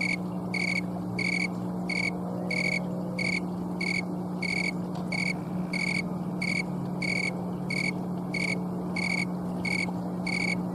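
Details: A green tree cricket (Oecanthus fultoni, snowy or thermometer tree cricket), living in trees and shrubs, rubs its wings on an October 11 afternoon in Colorado, late in the season, giving short, clear, high-pitched chirps repeated steadily, about one and a half per second.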